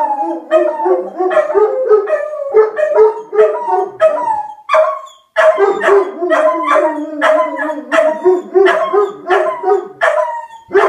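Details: Two dogs, Axle the German Shepherd and Rufus the Beagle, howl at a tornado siren; quick bursts of baying yips layered over long wavering howls, with a brief pause midway before resuming.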